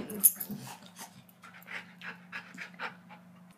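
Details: Golden Retriever puppy being dramatic indoors, panting in quick, uneven breathy bursts over a steady low electrical hum, with a brief voice at the start.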